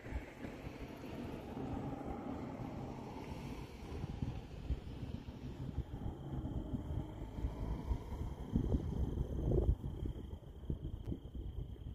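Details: Steady low rumble of wind and a running engine, with no animal calls heard.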